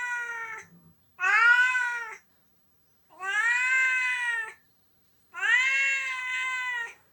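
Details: Onio, a pet cat, cries while an owner is away on vacation after graduating college; three loud, sustained, rich wailing meows rising then gently falling, separated by pauses of about a second, in a quiet room.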